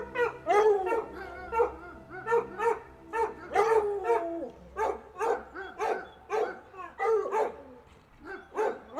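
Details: Domestic dog barking repeatedly and excitedly, with whining, drawn-out yelps mixed among rapid sharp barks and a faint low hum behind.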